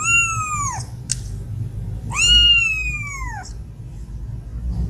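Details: Cat at feeding time, one of two cats climbing quickly toward food: two long, clear meows, each starting high and sliding downward, spaced about two seconds apart, with a brief click between them and a faint room hum.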